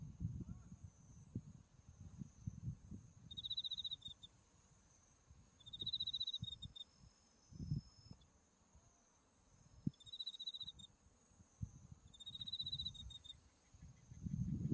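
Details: Autumn insects calling beside a white-flowering buckwheat field, Mount Tsukuba in the distance: four short high, even trills repeated about every two to three seconds over a steady thin high tone and low rumbling wind.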